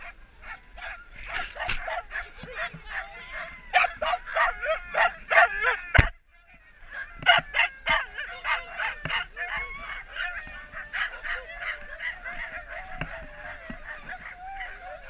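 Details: Many husky sled dogs resting during a husky safari break in Lapland, Finland, raise a dense chorus of yips, short barks and wavering high whines, tightly packed and overlapping, with a brief sharp knock midway.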